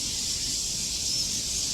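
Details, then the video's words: A dense chorus of crickets gives a steady, high, shimmering hiss without breaks in the hillside forest around Treasure Hill Temple, Taipei, Taiwan, under a clear daytime sky. "আর প্রচুর ঝিজি পোকা ডাকছে। ঝিজি পোকার ডাক শোনা যাচ্ছে। আপনারাও হয়তো শুনতে পাচ্ছেন।"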